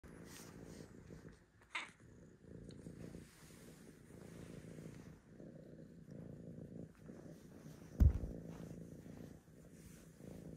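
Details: Archie, a tabby cat, purrs softly with a low steady rumble while wanting to be petted, a brief higher sound breaking in early on.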